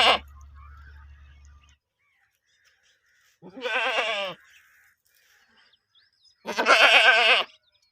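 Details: UK goat giving short wavering bleats, one at the start and two more later, each tremulous and roughly a second long, with a low hum early on and quiet between calls.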